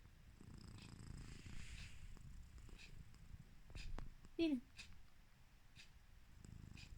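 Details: Sleeping house cat giving slow, low rumbling snore breaths at the start and again at the close, with a short descending voiced sound and faint clicks between.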